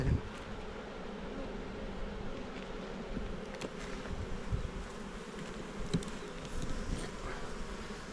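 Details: {'caption': 'A Korean hive of honey bees in the Jirisan mountains, combs being built; a soft, even, low-pitched droning hum runs throughout with a few faint taps.'}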